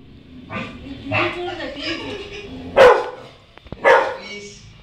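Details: A female Rottweiler puppy, scared while watching herself on TV, gives two sharp, startled barks about a second apart over background voices.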